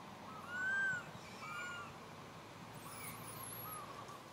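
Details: Little monkey Santo cries sadly, calling for Mama Sara and asking her for milk: clear arched whistled wails, one long and loud, then softer repeats, with faint high squeaks near the end over a low background hum.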